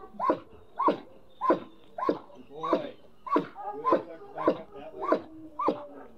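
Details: Trained German Shepherd protection dog barking in bursts roughly every half second, regular and insistent, while a handler speaks encouragement over the barks.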